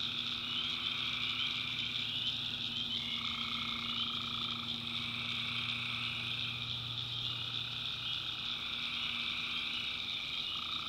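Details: Many tree frogs calling after dark in a North Carolina backwoods swamp: continuous shrill buzzing trills at several pitches, middle voices switching on and off, with a low droning hum underneath.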